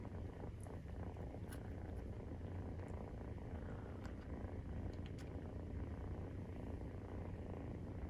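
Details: Deep continuous purring from Maine Coon cats while kittens 43 days old nurse, a dense low throbbing rumble with a few faint light clicks and ticks above it.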